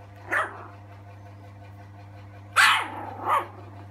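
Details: An Alaskan Malamute x Siberian Husky puppy, about 3 weeks to 1 month old, from a litter of six in Seri Kembangan, Malaysia, gives three short, high, yapping barks over a steady low hum.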